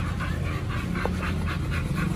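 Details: Steady, hoarse panting from Oliang and Nomyen, dogs awaiting a raw pork and chicken picnic at a dog hotel. Quick regular breaths with a low rumbling background.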